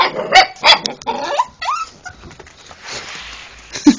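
An Alaskan Malamute gives loud barks and a rising, whining yowl, with a person speaking briefly.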